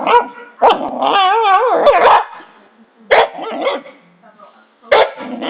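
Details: Pet dog making weird noises: a wavering, yodel-like whine that warbles up and down in pitch for about a second, framed by short loud bark-like bursts.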